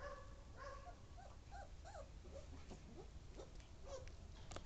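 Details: Siberian Husky puppies at play with their mother, giving a string of short, thin, bending whimpers and yelps, several per second, some rising and falling, over a constant low rumble of background noise.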